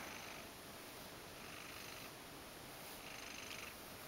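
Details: Ragdoll cat named Mojio purring indoors while being brushed, relaxed enough to roll over and show its belly; a soft, steady, unbroken low rumble runs throughout with a faint hiss behind it.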